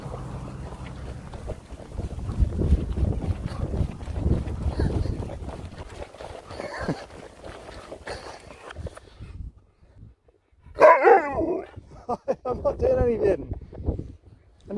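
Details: Sherpa the Alaskan Malamute talks back after a man's speech: a quiet pause, then a burst of wavering, yodel-like howls and shorter woo sounds near the end.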